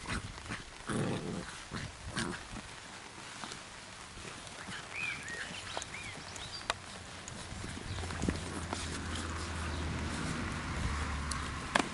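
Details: Labrador Retriever puppies playing in the rain: faint, thin high whines and squeaks, a few short rising squeals mid-clip, scattered among patter, thumps and a steady hiss of rain.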